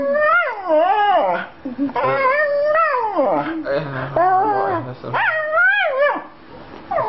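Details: Female Australian Shepherd crying about her boy: a talkative run of wavering, howl-like whines that swoop up and down, some short and clipped, others long and bending, with a faint low voice in places.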